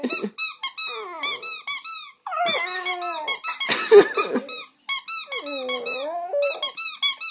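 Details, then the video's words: Staffordshire Bull Terrier puppy, two months old, vocalising during play with a toy in a small room: long bending howl-like whines that dip and rise, a noisy growly burst, and constant fast squeaking from the toy. "Staffie de 2 mois qui chante ( staffordshire Bull terrier )"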